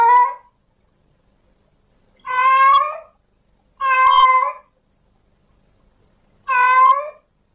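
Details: A male cat in heat calls to a female with four strong, rough meows, each around a second long, separated by pauses of one to two seconds.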